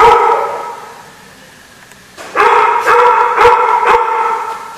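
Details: Barking at the Barking Lot, 14 November 2014: one bark at the start, a lull, then a rapid string of loud, resonant barks close together.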